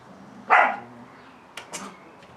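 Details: Catalan Sheepdog puppies, offspring of Bonny and Elgoche, at play: one sharp, loud bark followed a second later by two faint, short yips against a quiet background.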